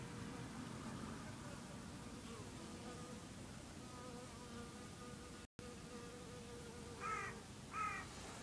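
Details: Honey bees in the early morning around 8 am, a steady low droning hum with wavering tonal lines that drift up and down as bees move about; a few harsh crow caws break in near the end.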